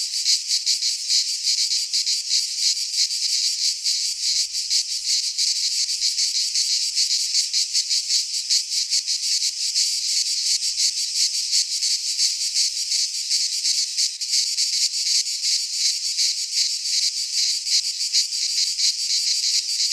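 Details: In a Greek pine forest at midsummer, many cicadas sing together in an unbroken, sizzling high drone with fast flickering pulses, a faint low rumble underneath at times.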